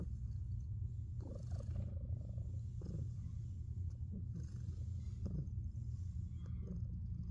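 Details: Domestic cat snoring while asleep: a steady low rumbling breath with squeaky, nasal high notes at intervals of about one to one and a half seconds, recorded quietly indoors.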